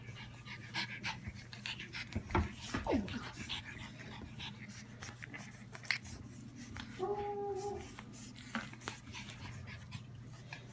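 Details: Blue French Bulldog puppies, a litter ready for new homes: rapid irregular panting and snuffling breaths, a few soft clicks, then a short steady two-toned whine near the end. A low constant hum runs underneath.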